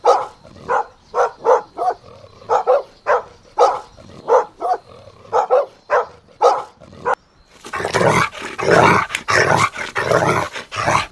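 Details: Playful Golden Retriever puppies running in a meadow give a steady series of sharp, evenly spaced barks for about seven seconds, then a denser, noisier burst of overlapping barks and rough sounds.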